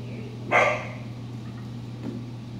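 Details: Giant Schnauzer puppy named Quixie, 14 weeks old, home raised and in early obedience and personal protection training. A single short, sharp bark lands about half a second in, over a steady low electrical hum, followed by quiet.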